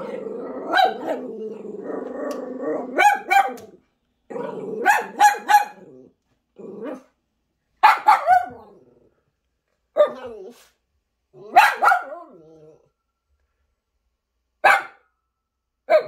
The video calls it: Min Pin Dog Roaring, Speaking and Barking